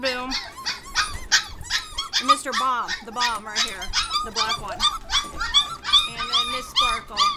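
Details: Several 25-day-old Border Collie puppies crying out from their crate during a short cleaning break, a dense chorus of shrill squeaks and bent, yelping whines, many overlapping voices calling rapidly, about two or three cries a second.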